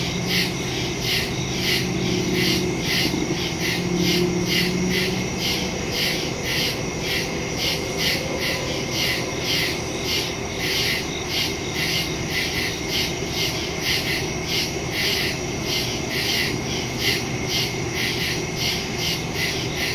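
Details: Nighttime cricket chorus in the woods, September recording made on a phone with a stereo microphone; rhythmic high chirps roughly twice a second over constant high buzzing, with faint low tonal sounds early on.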